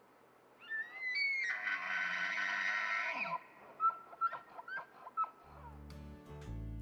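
A bull elk bugles in the rut: a rising whistle that breaks into a harsh, strained scream.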